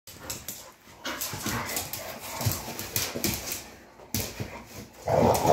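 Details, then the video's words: Pit bulls fighting: rough, noisy growls and short barks in quick irregular bursts, with a louder harsh snarl near the end. "Pitbull Fight"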